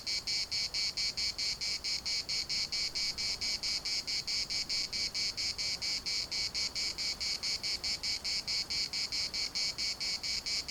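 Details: Steady cicada chorus in the municipal park at Larnaca: a bright, metallic buzzing chopped into fast regular pulses, about four or five a second, sustained without a break across the whole stretch.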